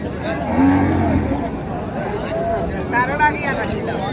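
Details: Cow at the Raniganj livestock market in Dinajpur, where cows with calves are sold, 15 May 2025: a short low moo with steady tone early on, then busy human chatter and bargaining voices.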